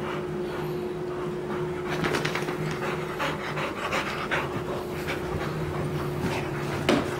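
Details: Pebbles, a six-and-a-half-month-old Bullmastiff, panting while playing: a run of quick, breathy, rasping bursts, loudest in the middle, over a steady low electrical hum, with a brief squeak near the end.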